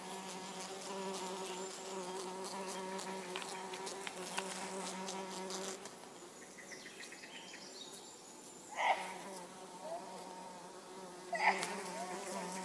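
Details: Orange-belted hoverfly (Xylota segnis) droning with a low, steady wing hum for about six seconds before falling silent; two short, sharp chirps from another source follow later.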